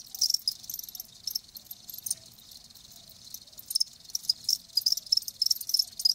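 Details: Live crickets trilling in irregular clusters of high, rapid pulses, louder runs near the start and end with a softer stretch between them.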